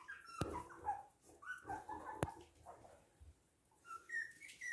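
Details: Whining from toy and miniature poodles, Hahnstätten, 19 February 2022. Thin tonal whines wavering up and down are broken by two sharp clicks, then a quiet gap before more rising, high-pitched whines near the end.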